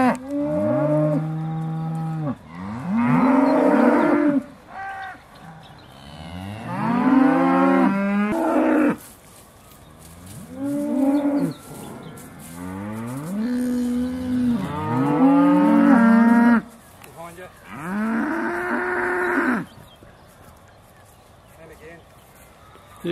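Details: Beaulands herd of Aussie Red dairy cows in December 2012, calling just before milking: a run of repeated moos from more than one cow, bursts of one to three seconds with short gaps, ending in a longer quiet spell.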